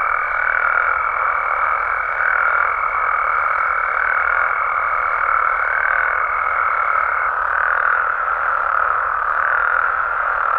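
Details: Frogs and toads calling at night in Mexico: a dense, unbroken croaking chorus swells and eases in slow waves, while a steady high whine runs alongside and stops about seven seconds in.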